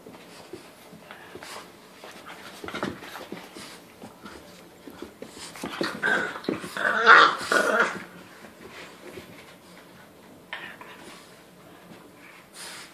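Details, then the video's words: A Boston Terrier puppy and a French Bulldog puppy wrestling indoors: scattered scuffles and soft growls, bursting into louder yelping, whining play-growls around the middle, then quieter grumbles with a few sharp yips. "Boston vs Frenchie puppy wrestling"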